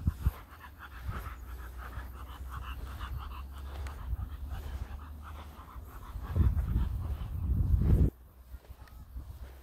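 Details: An American bullfrog, recorded in nature, gives deep, low, throbbing croaks that swell into a louder rumble near the end.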